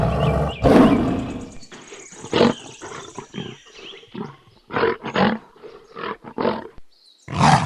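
A young lion gives a string of rough, raspy roars and growls in short irregular bursts, with a louder bellow at the start and end.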